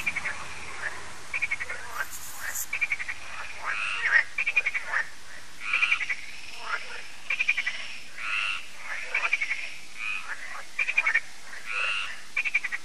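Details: Lakeside frog chorus in France at Lac de Sabatte in the evening: steady sequence of rattling croak bursts, each a fast train of clicking pulses, repeating roughly every second or two over a hissy background.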